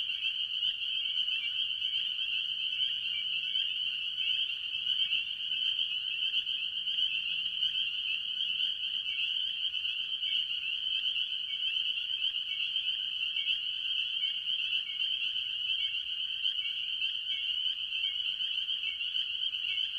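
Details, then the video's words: Spring peepers, with other tree frogs, calling early in the year at a farm pond. A dense, unbroken chorus of high, shrill peeps overlaps continuously for the full twenty seconds. Short lower slurred notes recur throughout, with only faint low background rumble. "Relaxing Tree Frog Sounds - Spring Peepers"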